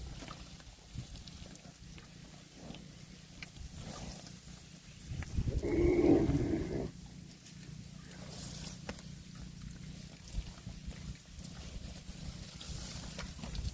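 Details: Cow eating grass outdoors gives a single low, drawn-out moo lasting about two seconds midway through, with steady low rumbling background noise before and after.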